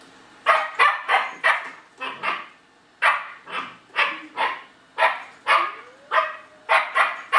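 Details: German Shepherd puppy scared by a robotic vacuum, giving sharp loud barks in quick bursts of two or three, about sixteen in seven seconds, with a short pause near the two-second mark.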